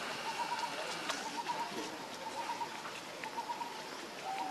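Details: Hungry baby monkey, Leo, also called Rainbow, begging its mother for milk: short tonal whimpering cries repeated roughly once a second, each a brief wavering note, over a steady noisy background with faint outdoor sounds.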